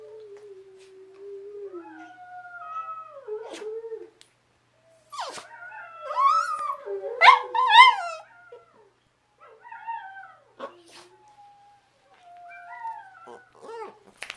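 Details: Abby, a pet dog, howls along with another dog: long wavering tones that rise and fall, with breaks, a louder cluster of strained upward howls in the middle, then softer trailing wails and a few clicks at the end.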